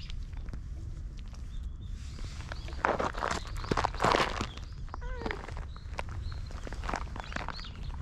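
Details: Ginger tabby cat that rubs up against a passer-by heading home after a night shift, filmed on a GoPro HERO8; a brief wavering meow follows loud rustling and footsteps, with outdoor background noise throughout.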